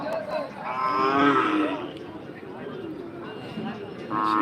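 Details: Cattle at the Rohanpur cattle market give a drawn-out, harmonic moo lasting about a second, with the bustle and voices of a busy market crowd all around.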